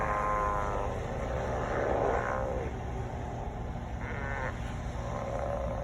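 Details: A crowd of sea lions calling: drawn-out, harmonic, bellowing barks come in three bursts, the second shifting and wavering in pitch, over a steady low rumble of background noise.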